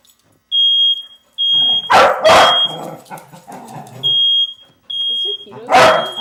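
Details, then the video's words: A dog barking frantically as a smoke alarm goes off. A shrill electronic beep repeats in long pulses, broken by a quick double bark, some lower scuffling, and a final sharp bark near the end. "Crazy Dog hears the fire alarm"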